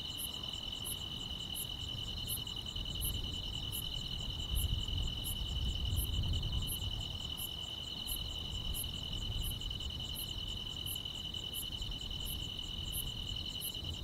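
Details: Chorus of grass insects on a calm rural summer night, a continuous ringing trill plus rhythmic high pulses about three times a second, with a swelling low rumble midway.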